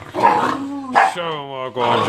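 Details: Jessy the Jack Russell Terrier play-fighting alongside two working terrier pups, giving a rough barking growl that slides into a high, sustained whining snarl before another gruff bark.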